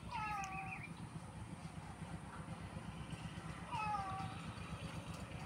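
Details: Domestic cat giving two drawn-out, falling meows, one near the start and another about three seconds later, over a steady low engine-like hum.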